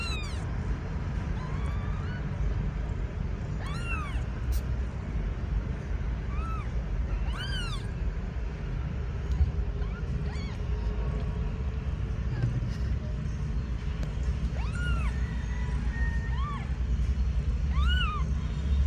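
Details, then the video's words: Agitated kitten meowing: short, arched, rising-then-falling mews repeated at irregular intervals of a few seconds over a steady low rumbling background noise. "Gato filhote agitado miando"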